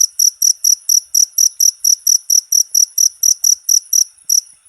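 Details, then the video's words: Jangkrik, the cricket, sounding a steady train of bright, high chirps roughly four per second, each a tight buzzy pulse; offered for tutoring cage birds, with no background noise. "MP3 JANGKRIK,COCOK UNTUK MASTERAN SEMUA BURUNG..!!!"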